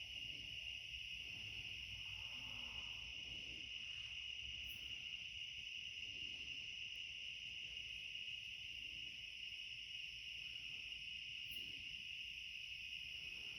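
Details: Near summer's end, cicadas sing at night in a back yard, a continuous high-pitched whirring drone holding steady throughout, with a faint low murmur and two brief ticks.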